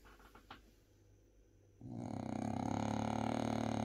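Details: Bob, a French Bulldog, snoring while napping: quiet room for almost two seconds, then a loud, steady, raspy buzzing snore that holds to the end.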